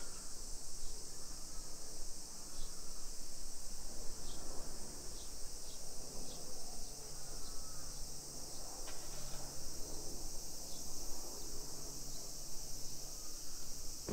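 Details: Summer cicadas in a modern hillside residential neighborhood of Nisshin, suburban Nagoya, Aichi Prefecture, Japan, at 1 PM on 28 July 2021, heard on a street walk: a steady, high, hissing drone without pauses over low street rumble and footsteps.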